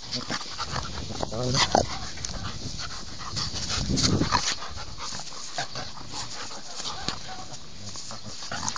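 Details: Alaskan Malamute dog giving short whining, whimpering vocal bursts, strongest near the second and fourth seconds, over steady broadband background noise with human voices mixed in.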